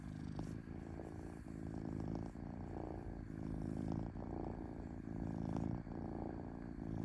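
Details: Gentle, smooth purring from a domestic cat: a rich low rumble with soft breathy pulses that rise and fade in steady cycles, and a quiet hum in the background.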